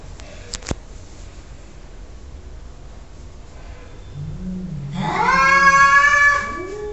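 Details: Cat letting out a low moan that swells into one loud, drawn-out wailing meow near the end, after a few seconds of near silence with faint clicks at the start.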